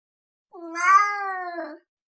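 A Sphynx cat gives one drawn-out, slightly rising then falling meow.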